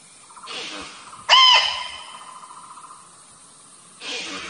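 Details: A muntjac in the middle of a forest gives a single sudden, sharp bark with a bright, ringing tone that fades quickly, with soft breathy rustling before and after it; the call is described as suitable for luring.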